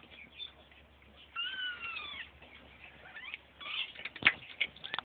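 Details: Three five-week-old kittens wrestling together; one drawn-out, wavering meow with a rise and fall, then short squeaky mews and scuffling, bumping play noises.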